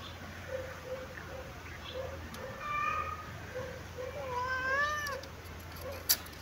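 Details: Kitten sunbathing in its favourite place, giving a few drawn-out meows with clear wavering, rising and falling tones, over a soft background hum and a single sharp click near the end.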